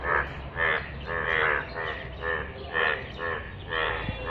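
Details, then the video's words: Yellow frog croaking in rainwater: strong, nasal, bleating croaks about every half second, each with a rich, ringing quality, over a low background hum. "অসাধারণ কণ্ঠে ডাক । হলুদ ব্যাঙ এর বৃষ্টির পানিতে"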